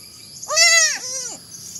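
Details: Young goat kid gives a single two-part bleat, a strong nasal cry sliding up then down, followed by a softer falling tail, over a constant high hiss.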